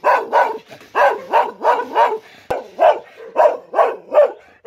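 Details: Dog barking steadily and forcefully, about a dozen loud, rough barks in quick succession with a brief break midway and a short click. Each bark falls in pitch at its end.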